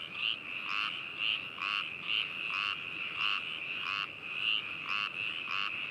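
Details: Binaural recording of frogs in Hakushu, Yamanashi Prefecture, Japan, 4 May 2018: continuous high trilling chorus with pulsed rattling bursts repeating roughly twice a second, many callers overlapping.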